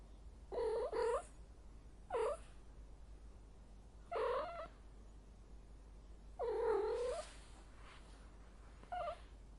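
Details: Cat in heat uttering a series of short, moaning meows in irregular bursts, some doubled, spaced one to two seconds apart over a soft steady background hiss.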